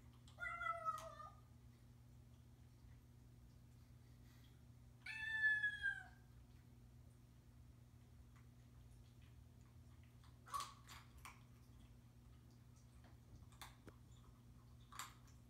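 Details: A male Bengal cat gives two clear, drawn-out meows a few seconds apart, letting its owners know where it is and what it's doing.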